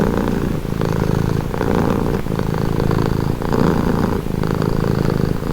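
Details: Domestic cat giving a relaxing purr, close low buzzing rumble pulsing in breath-length phases under a second long, continuous and even.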